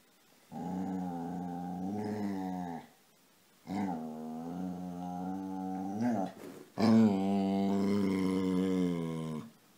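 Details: Indoors, the dog Casy, playing and wanting petting, makes three long, droning, growly moans in a row, each two to three seconds, with pitch wobbling up at the ends.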